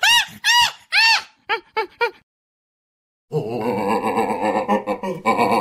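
Chimpanzee giving loud, arching, high-pitched screams in a quick series, then busy voices and music.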